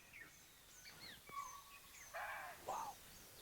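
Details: Chital (cheetal deer) give sharp, shrill alarm barks, with barking deer also alarming, as tigers are nearby in Bandhavgarh National Park's Khitoli zone, India, amid a busy chorus of chirping birds.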